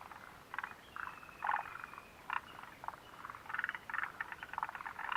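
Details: Mountain frogs near the Mitsuishi refuge hut, 29 June 2013: clustered rattling croaks, with a faint sustained whistle-like tone early on and a denser burst of rapid calls toward the end.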